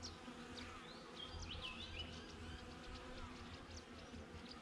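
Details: Bees droning outside a backyard beehive, captured on a GoPro: an even, low, humming buzz fills the background as bright bird chirps and short whistled twitters run over the top.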